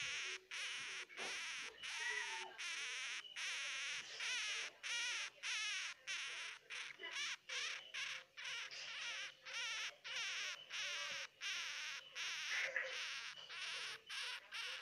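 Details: Crying hamster babies give rapid, rasping squeaks, about ninety short bursts a minute, each with a quavering tremble, and a soft lower whine here and there beneath.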